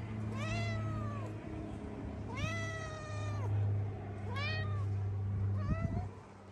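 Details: Very hungry stray street cats, a tabby and a ginger, beg for food. Four drawn-out, arched meows come one after another, each swelling and falling, over a steady low hum.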